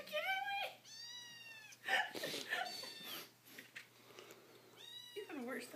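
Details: Hungry domestic kitten meowing indoors in the morning: several drawn-out, harmonic mews with falling ends, mixed with people talking and laughing in a small room.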